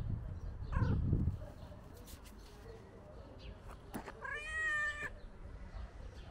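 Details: A tuxedo cat being petted gives a short harmonic meow near the start, then a longer, clear, drawn-out meow that dips slightly in pitch; low rumbling handling noise sits underneath.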